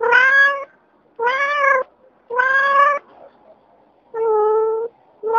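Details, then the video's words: Adult domestic cat meowing: four drawn-out, clear, tonal meows about a second apart, each slightly rising then falling, with a fifth beginning at the end. "The sounds cats: kittens, cat, cougar, tiger, lion"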